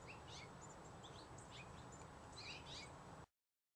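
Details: Pygmy marmoset (Callithrix pygmaea), the world's smallest monkey, from South American forests. Quiet, high, short chirps and upward-slurred squeaks, scattered and repeated through about three seconds over a low steady background rumble.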